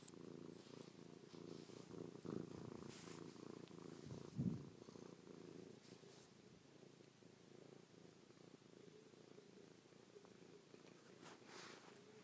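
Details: Purring pet cat Chloe, nuzzling in to kiss, paw and lick her owner's face after sleeping on the owner's back overnight; low throbbing purr, louder early on with a sharp bump of movement, then softening.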